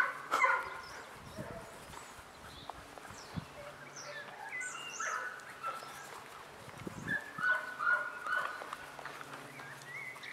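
German Shorthaired Pointer puppies give thin, high whines and short yelps, scattered unevenly through the clip.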